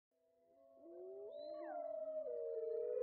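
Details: Several wolves howling together, their voices overlapping and weaving, one swooping upward while others hold or bend their tones, the chorus swelling louder throughout.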